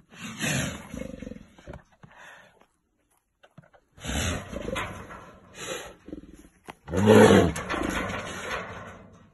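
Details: A caged brown bear, described as aggressive, gives harsh, rumbling roars in several bursts separated by brief pauses. It was filmed during a close encounter with a person.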